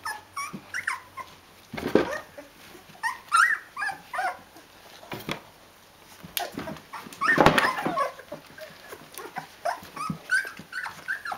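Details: Fourteen-day-old Rhodesian Ridgeback puppies in a litter, staying with their mother, keep up a busy stream of high whimpers and yips rising and falling, broken by two bursts of rustling or handling noise.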